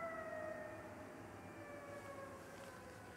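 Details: Golden jackal howling as it runs around its mate, which was struck and killed on the road. The howl is a long, drawn-out, slowly falling tone with clear overtones, heard over a steady rumble of road traffic.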